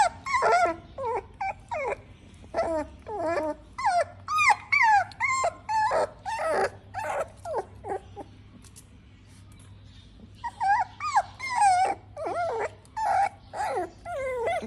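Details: Pug puppy crying while eating: rapid series of short, high, wavering whines and yelps, about two per second, with a pause midway before the whimpering resumes.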